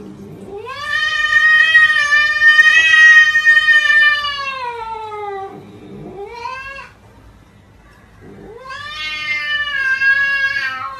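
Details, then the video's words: A cat yelling like a human in a funny compilation: a very long, drawn-out wailing meow that swells, holds and slowly sinks, a brief rising cry, then another long rising yowl after a pause. "Funny cats talking and yelling like humans"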